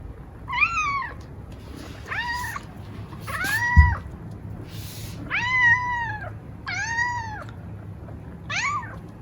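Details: Female long-legged Munchkin cat, three years old, kept indoors, meowing for food: about seven loud drawn-out meows, each rising then falling in pitch, spaced roughly a second apart, with a woman speaking softly in Japanese as the food arrives.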